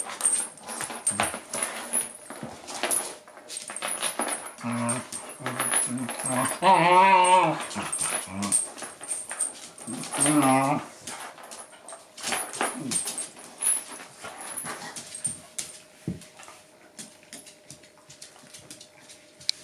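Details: Play fight between Shiba inu Yuki and bull mastiff Dune over a chew ball, Yuki always winning; bouts of harmonic whining growls around the middle among steady scuffling and clicking, quieter toward the end.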